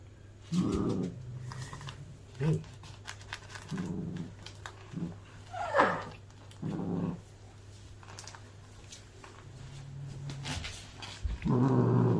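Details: Two young rescued domestic cats, a male born around May 2020 and a female born around September 2020, indoors, biting a new handmade felt kick toy and getting angry; low rumbling growls come in short bursts, with a steady background hum and brief human voices.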